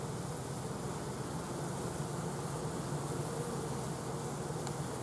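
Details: Honey bees just after a swarm was collected, stragglers that fell to the ground walking in procession up a bridge board into the new hive where the queen waits; a steady dense low hum with a constant hiss, no pauses.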